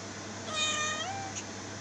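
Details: A domestic cat gives a single drawn-out meow with a bright, harmonic-rich tone that rises slightly and then slides downward, lasting about half a second, over a steady low room hum; a faint short squeak follows.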